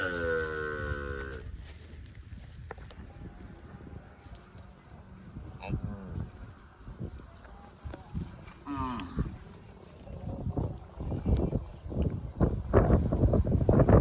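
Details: Cows roaming in the fields give a loud, harmonic moo lasting about a second and a half, then a shorter, rising moo later on, over low rumbling, thumping and scraping noises.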